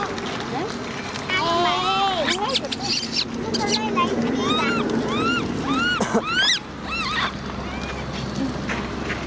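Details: Baby macaque named Cola crying while its sister Lyly is angry: a rapid run of arched, whiny tonal cries, several per second, rising then falling, over a steady background hum and splashy noise.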